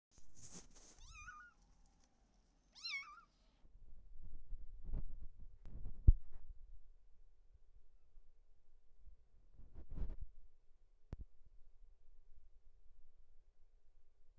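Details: An exploring domestic kitten gives two short, high, bending meows in the first three seconds, followed by soft thumps and rustling knocks as it moves about, then near quiet.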